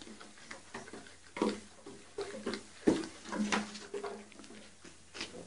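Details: Young goat kids on a teeter totter give brief nasal bleats, two clearer ones standing out among knocks, shuffling and the creak of the see-saw in a small room.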